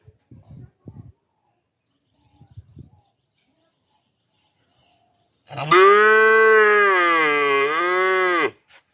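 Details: Cow mooing: soft thuds and shuffling noises, then a single long, loud moo of about three seconds, steady at first and dipping slightly before it ends.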